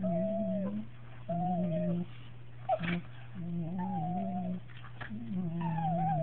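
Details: Two Cocker Spaniels, one aged 2 years and one aged 8 months, kissing give drawn-out, moaning whines in several bursts when their mouths touch, with a steady low hum underneath.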